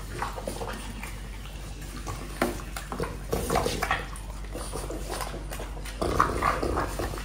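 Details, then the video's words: French Bulldog eating an apple, recorded close up indoors: irregular crunching and smacking bites, soft chewing clicks, a louder crunch near six seconds, steady low background hum. "ASMR dog eating apple | French Bulldog"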